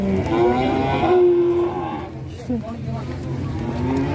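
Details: Cattle at a busy Indonesian livestock market: a sustained, even-pitched moo for over a second, then a noisy stretch of crowd chatter and handling sounds.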